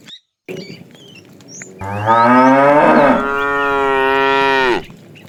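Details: Tame cows being herded to pasture in the morning. A long, loud moo lasts about three seconds; it rises, holds, then slightly changes tone before stopping. A few bird chirps are heard before it.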